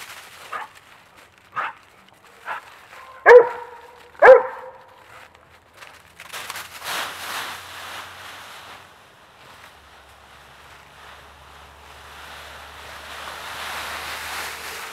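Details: Two dogs playing in a pile of raked autumn leaves; a series of about five sharp barks in the first four and a half seconds, two of them loud, followed by rustling and crunching leaves with faint background noise.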